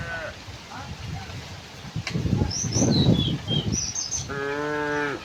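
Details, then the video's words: Tame cows walking to a wide pasture on a quiet sunny morning; a noisy, low rumbling stretch gives way near the end to a steady harmonic moo about a second long, with high thin bird chirps overhead. "the sound of cows"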